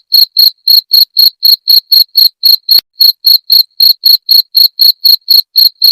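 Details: {'caption': 'Jangkrik (cricket) chirp meant to repel rats: shrill, buzzy pulses repeating regularly about four times per second, roughly twenty-two of them, with a faint click near the middle and otherwise silence behind.'}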